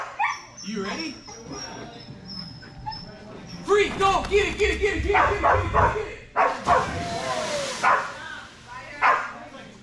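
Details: Belgian Malinois named Strider at Fetch-It (Air Retrieve) dock diving practice; after a quieter start, rapid repeated barks and yips come fast and clustered, mixed with whining tones and a man's voice calling praise.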